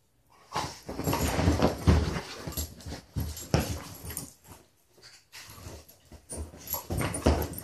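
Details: Two beagles, Mitzi and Lucky, alumni of SouthEast Beagle Rescue, playing together on a couch indoors: rough, rasping grumbles and growly bursts come in rapid uneven runs, broken by short pauses and rustling.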